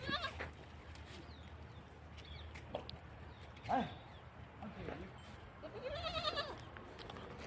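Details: Beetal goats, including kids, at a goat farm in Koldam: a short bleat near the middle, then a louder wavering, quavering bleat near the end over steady background hum and faint speech.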